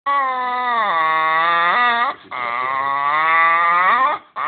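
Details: Pet dog making a drawn-out, harmonic whining 'talking' noise while asking to be stroked more, two long wavering cries, the first sliding down then up, the second dipping and rising, indoors in a small room.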